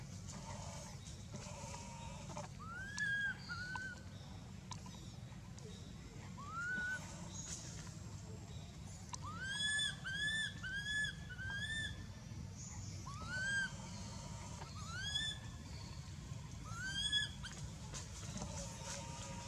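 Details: Crying of baby monkey Anissa at Angkor Wat, hurt after being hit and dragged over hard ground by Aron: scattered groups of arched, whining squeals, some in quick doublets, over a steady low rumble.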